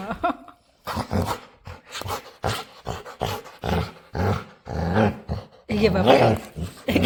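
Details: Playful dog begging a person to play: uneven bursts of low, throaty grumbling and groaning, about one every second, rising into a louder, higher, strained whine at the end, with human speech nearby.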